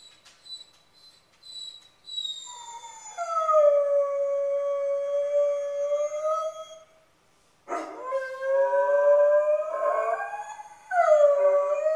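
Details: Spartacus, a dog left home alone in a new house, gives soft scratchy noises, then a long sustained mournful howl, a short silence, and a second howl that rises and wavers before breaking off and resuming.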